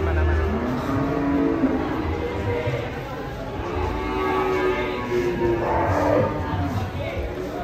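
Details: Angry, raging cattle from a compilation: long, low, droning moos with layered harmonics recur through the stretch, mixed with people talking and faint background music.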